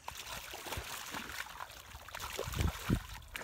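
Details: Water splashing and trickling with faint low thumps, no animal voice heard.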